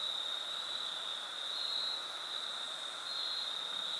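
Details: Crickets on the Foothills Trail during a fall 2022 thru hike give a continuous high ringing trill, gently swelling and fading, layered over a weaker lower steady buzz and soft hiss.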